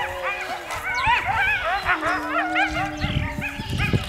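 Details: A wolf howls with other wolves and coyotes in the background at a wolf park: long steady howling tones overlaid with rapid rising and falling yips.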